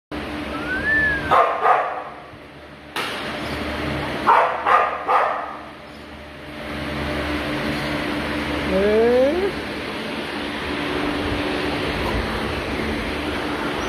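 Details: A Samoyed being ignored gives a few short, sharp barks early on, then a brief rising whine, all over a steady loud hiss.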